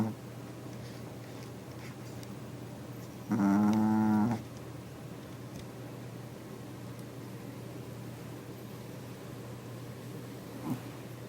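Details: Small sleeping dog snoring loudly for its size: a single drawn-out, buzzy, harmonic snore lasting about one second midway through, with a steady low indoor hum throughout and otherwise quiet.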